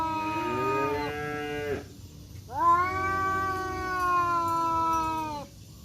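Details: Two male village cats, one black and one striped, facing off in a fight in woodland, giving long drawn-out harmonic yowls that hold steady then waver, two extended wails separated by a brief pause.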